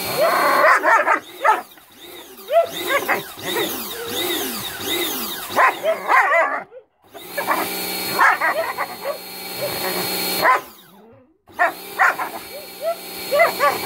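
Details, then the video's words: Bubu, a German Shepherd dog, bites at a spraying water hose, giving quick arched yelping barks in bursts with short pauses, over steady background music and hissing water. "Funny Germn Shepherd Dog vs Water Hose"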